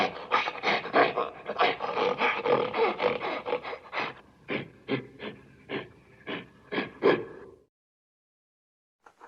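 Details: Gorilla making rapid, breathy, rasping grunts, about three a second at first, slowing into separate sharp bursts before falling silent, with a faint sound near the end.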